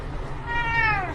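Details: Indoor cat meow from a funny cat compilation: one drawn-out call that rises, then falls gently, rich in overtones, over faint room hum.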